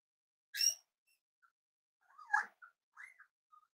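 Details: Cavalier King Charles Spaniel puppies, almost 8 weeks old, at home: a short high squeak, then thin whimpering whines that rise and bend, with a few faint chirps between them in a quiet room.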